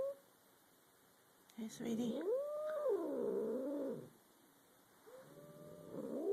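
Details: Domestic cats in a tense indoor standoff while a third cat watches: a long wavering low moan-growl swells, rises and falls over about two seconds, then a second drawn-out growl begins; a person speaks softly beforehand.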